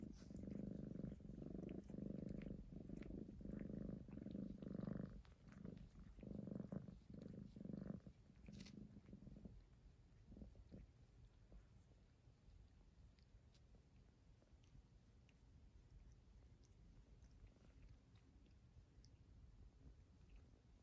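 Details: Pet cat, one of two, recorded 19 January 2023, purring in a deep, fast-pulsing rumble for about eight seconds before it fades out, leaving faint room hiss and a few soft clicks.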